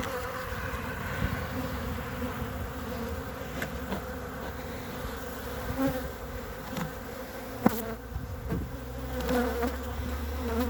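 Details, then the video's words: Winter honey bee colony on three frames, 14 February 2021: constant low buzzing hum under scattered knocks, scrapes and one loud click as the hive is handled. "Albine pe 3 rame la 14 februarie 2021"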